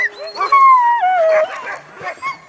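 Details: A dog in a dog yard gives a drawn-out, tonal whine that slides slowly downward, then breaks into a few shorter whimpers near the end.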